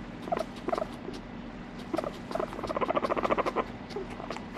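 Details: Pet guinea pig calling in short paired squeaks, then a fast stuttering series of mid-pitched harmonic pulses near the end, over a constant low background hum.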